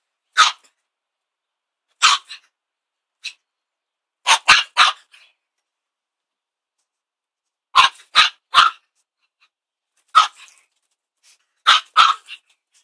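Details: Chihuahua, a pet dog, barking at a broom: sharp, high yaps in short bursts of one to three, with quiet gaps of about a second between groups, no other sounds heard.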